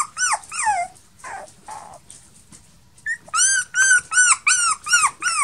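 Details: Male Toy Poodle puppy, born 1 May 2018, lets out shrill arched whimpers, a few falling whines, a short gap and a squeak, then a fast steady series of loud high yelps.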